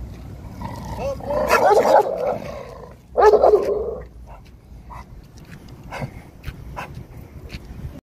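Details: Aggressive American Staffordshire Terrier giving two long, harsh, growling bark bursts, each lasting under a second, then scattered clicks and softer noises while people talk nearby.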